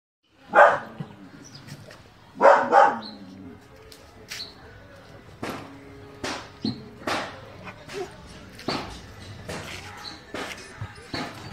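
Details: German Shepherd dog barking: two loud, harsh barks early on, a doubled bark near three seconds, then a run of shorter, quieter barks spaced irregularly about every second or two over a low background hum.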